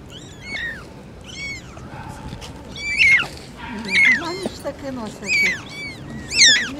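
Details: Shrill, falling mews from four kittens near their mother cat, arriving in clusters every second or so, mixed with a few lower, softer murmuring sounds and light background noise.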